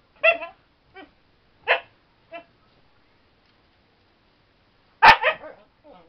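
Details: Female Siberian Husky barking while playing with a bouncing motion: loud, sharp barks at irregular intervals, three strong ones separated by softer short yips and a silent gap of nearly three seconds.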